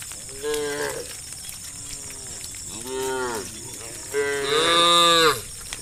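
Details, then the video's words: Cows of a roaming countryside herd calling their companions: three rich, drawn-out moos, the last loudest and rising then sliding down, against a constant thin high-pitched hiss. "the sound of cows calling their friends"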